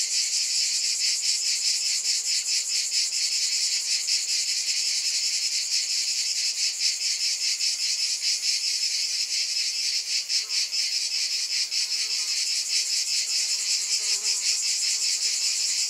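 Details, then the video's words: Long stretch of cicada chorus: an intense high buzz with rapid throbbing that briefly intensifies midway, then settles back into a steady drone. "Scintillating Cicadas"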